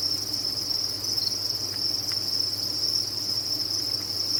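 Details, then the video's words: Massed crickets from a cricket farm form an unbroken shrill ringing, constant in pitch and loudness throughout, with a soft low hum beneath and a couple of faint clicks. "Sound of a Cricket Farm"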